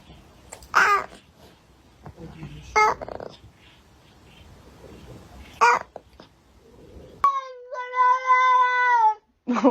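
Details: Domestic cat meowing: three short, sharp, rising-falling meows spaced about two seconds apart. They are followed by a long, steady, drawn-out wail with strong overtones. Quiet room noise and a person speaking are also heard.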